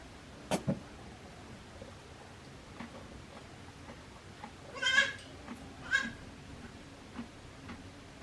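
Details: One-day-old baby goats born to Hikari at the handmade Yoshigake goat farm, 17 April 2024: two short, bright bleats a second apart, with scattered clicks and knocks around them.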